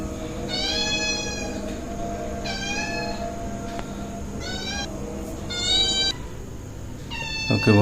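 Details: Pet cat just woken from sleep in cold weather at dawn prayer time, meowing five times in drawn-out, harmonic-rich meows roughly every one and a half seconds, with soft music and a steady hum behind.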